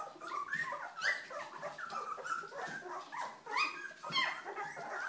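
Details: Old English Sheepdog puppies at two weeks old, several together, make dense rising and falling whines and squeaks, overlapping almost without pause.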